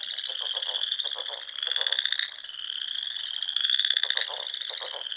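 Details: Spring dusk in the Sandhills of Nebraska, with frogs filling the air. Shrill trills overlap without a break, and louder pulsed trains of about half a second to a second return roughly every two seconds.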